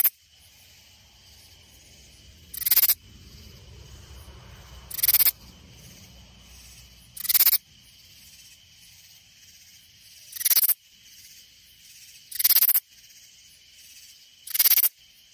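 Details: A katydid in the Hill Country near San Antonio, Texas, gives short, harsh, broadband rasps, repeated about every two to three seconds.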